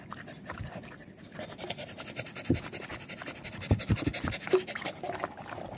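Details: Village dog (anjing kampung) panting during a walk on 18 April 2021: steady, rapid breathy panting throughout, with a few louder huffs toward the end over soft background noise.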